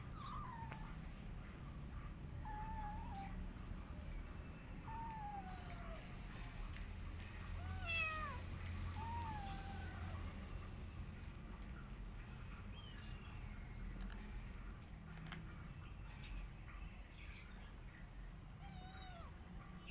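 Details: Rescue cat and kittens eating together, with thin high meows, several sliding downward, repeated irregularly through the scene over a steady low hum, clicks and clatter.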